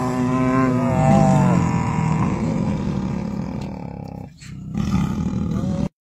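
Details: Tiger calling: a low, drawn-out moaning vocalization with a stacked tonal quality over the first two seconds, fading into rough breathy sounds, then a brief gap and a softer repeat near the end.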